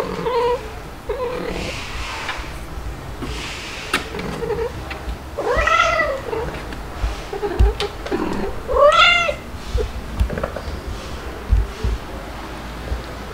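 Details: Kittens Stuart, white and dalmatian-spotted, and black Lunar with mother cats Mel and Pepper, July 2022: soft mews early on, then two long, loud, strongly harmonic meows that arch up and fall, and scattered thumps of play indoors.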